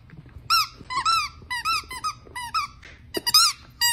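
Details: Dachshund puppy indoors letting out a run of high, arching whines and yelps, each short squeal rising then falling, repeated about ten times over a few seconds.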